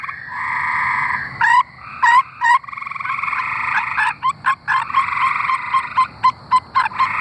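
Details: Tree frogs singing in Arkansas: a steady, buzzy pulsed trill that drones on with brief gaps, overlaid by repeated sharp upward chirps and clicks from other callers in the chorus.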